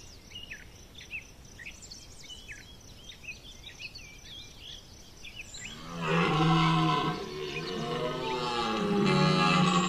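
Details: Red deer stag bellowing during the September 2021 rut at Chambord; birds chatter in high chirps for six seconds, then a loud, deep, drawn-out groaning roar with rich harmonics takes over to the end.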